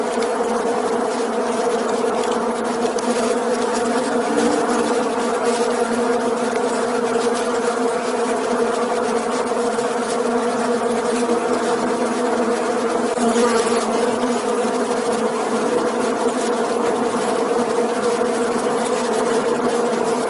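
Many bees fill the air with a continuous low droning buzz, layered and even in pitch. The hum swells only slightly as individuals pass closer, with no other sounds standing out.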